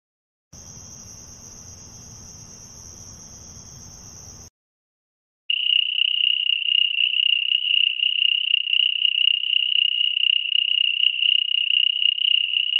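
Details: Cricket sound: a brief steady high tone first, then after a pause a clear, continuous high-pitched trill that pulses slightly and runs on without a break.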